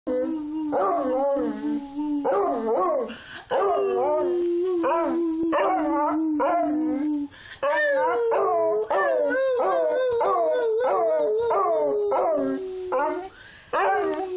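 A beagle lets out sustained, sliding howls mixed with quick rising and falling yelps. The voice wavers up and down in a sing-song way, with short pauses between phrases.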